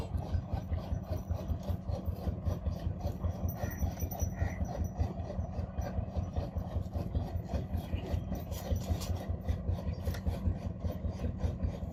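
Steady, rhythmic low rubbing and rasping noise, like filing or sawing, with no animal voice.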